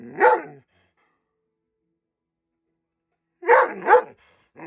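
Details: Rhodesian Ridgeback named Peaches, a female dog upset and acting up at an office, gives short, harsh, full-throated bark bursts: one at the start, then a quick double bark after a pause of about three seconds.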